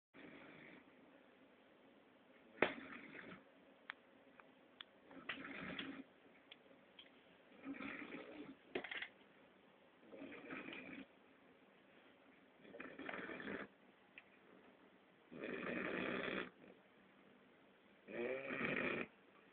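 An English Bulldog puppy snores in rough, breathy bursts that come every two to three seconds.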